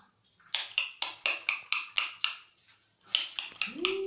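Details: Angry cat giving a rapid series of harsh, breathy hisses, about eight sharp bursts in quick succession, a brief pause, then more bursts ending in a short low rising whine.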